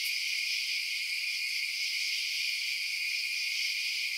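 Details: Night-time crickets form a thick, continuous high buzzing trill of many overlapping callers, even and unvarying from start to finish, with nothing else heard.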